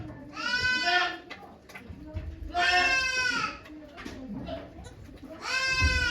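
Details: Yoshigake Farm goat Okayu, in labour with two kids on 3 May 2023 as volunteers look on, utters three loud vibrating bleats at roughly two-and-a-half-second intervals over faint background chatter.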